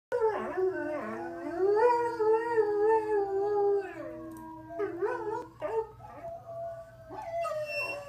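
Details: Pet greyhound howling in reply to recordings of other howling dogs: long wavering mid-pitched howls sliding up and down, broken by short yips and whimpering rises, with a faint steady hum behind.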